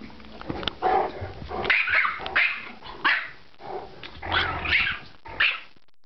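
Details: Gretel the Yorkie and Clyde the Great Dane, indoor pets, play-fighting over a Nylabone; repeated bursts of barking and growly yaps about every half second to second, loud and harsh, with a person's brief commands between.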